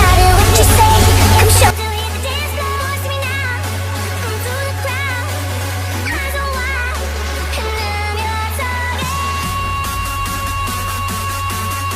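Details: Loud electronic dance music with a heavy repeating bass beat and synthesized tones, with no animal voice.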